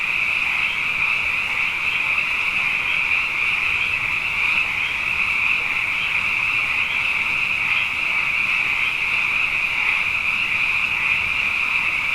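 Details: Numerous frogs sing through the night after two wet years running, a thick constant high-pitched trilling chorus with slight rhythmic pulsing and occasional louder individual notes rising above the mass.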